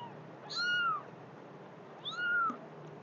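A kitten gives two thin, high meows, each rising then falling, about a second and a half apart.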